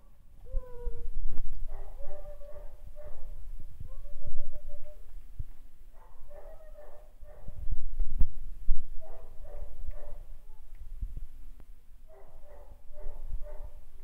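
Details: Cane Corso puppies, imported stock kept at a Hyderabad kennel, whimper and yelp in clustered bursts of short high cries separated by pauses, over heavy low rumbling and handling knocks.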